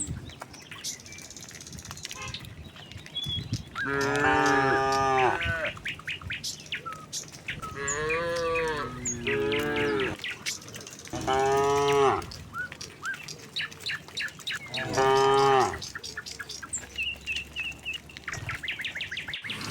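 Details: Tame cattle running downhill to their pen, lowing again and again: five or so harmonic moos spaced a few seconds apart, some wavering, with birds chirping between calls.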